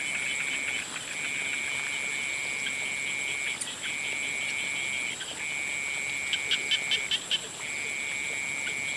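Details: At sunset, frogs produce long, level, high trills with brief silences between them. A few sharp clicks sound near the end, and a constant insect hum runs underneath.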